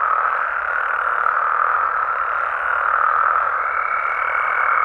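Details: Frogs calling at night in Mexican amphibian habitat, countless voices blending into one steady, buzzing trill, joined near the end by a faint sustained higher tone.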